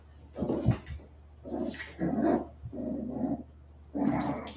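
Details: West Highland White Terrier puppies, 47 days old, after an outdoor break: rough low play growls and gruff yapping in four noisy bursts, with steady background hum.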